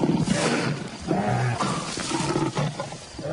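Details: Pride of African lions, young males still uncoordinated, just cubs playing: a dense run of overlapping deep roars and snarls fills the clip with scarcely a pause.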